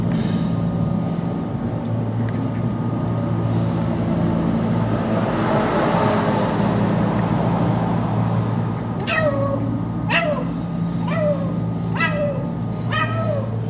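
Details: Domestic cat crying after eating, asking for food, which it was given; five short meows from about nine seconds on, each falling in pitch, over a steady low hum like an engine or appliance through the whole recording.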